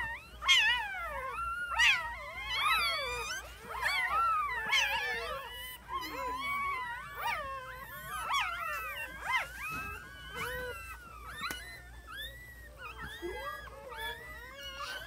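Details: Several newborn puppies whimper together, their thin wavering cries overlapping and tangling, loud at first and then settling into softer, scattered squeaks toward the end.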